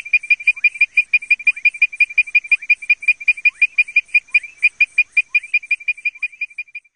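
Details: Leptodactylus mystacinus frog giving its advertisement call: a rapid, steady series of short, tonal, whistle-like notes, about three per second, each with bright overtones and a faint downward sweep below, against a quiet background.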